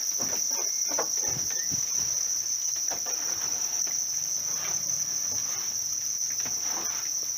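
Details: Reared house crickets produce an even, sustained high trill while soft thumps, rustles and a faint brief squeak come and go.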